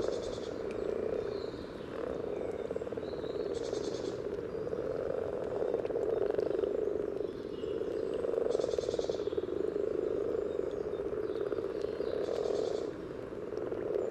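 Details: A chorus of common frogs at a spawning site in Sunnersta, Uppsala, Sweden, recorded just above the water surface, makes a steady, soft purring drone of low grunting croaks, mating calls given to attract partners.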